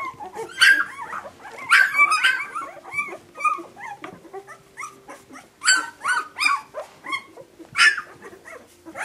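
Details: Puppies yelp in clusters of high, wavering whines, each burst a second or two apart, over a faint low steady hum.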